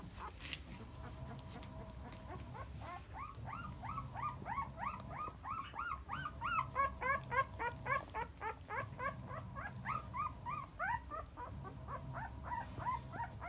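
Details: Ten-day-old Akita puppies crying without stopping while cared for by Jun, a four-year-old brindle female; many high, rising-falling squeals and whines, about three or four per second, overlapping from several pups, over a low steady hum.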